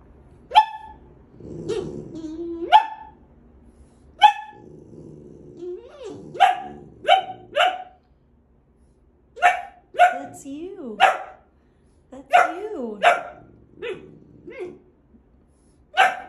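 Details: Loud, clipped barks from Gabe, a male boxer dog, mixed with shorter bending whine-like yelps, repeated irregularly through sixteen seconds, with a person's voice talking to him nearby.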